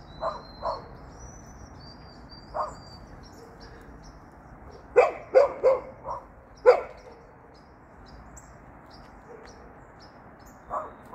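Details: Golden Retriever, hopping, barks sporadically: a few soft yaps, then a quick burst of four louder sharp barks, then quiet; thin, high bird twitters sound faintly throughout.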